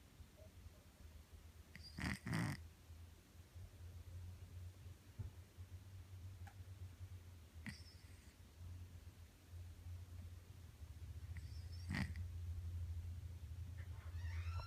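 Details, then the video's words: Feral male cat, neutered, now let indoors during the day, sleeping and snoring: a steady low rumbling breath drone throughout, with a few sharp clicks and knocks near the start and at twelve seconds. "Snoring Cat"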